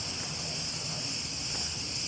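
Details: Cicadas in a municipal park in Rethymno, Crete, on a hot Sunday morning fill the air with a steady, high, hissing buzz, their song a mating call.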